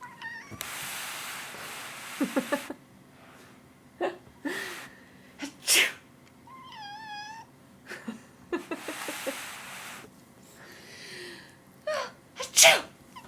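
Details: Pet cat JuJee, who meows whenever someone sneezes, indoors: loud human sneezes and breathy bursts, then a single brief wavering meow in the middle, more sneezes and clattering sounds afterward.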